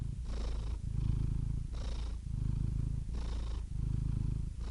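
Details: Continuous low, rattling purr from a domestic cat, rising and falling in long breath cycles about every one and a half seconds, with faint breathy hisses between phases and a quiet background.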